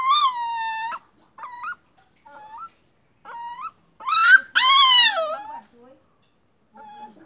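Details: A small puppy tethered by a rope at a rural home whines in long drawn-out cries, some rising at the end, broken by short gaps and a louder wavering wail.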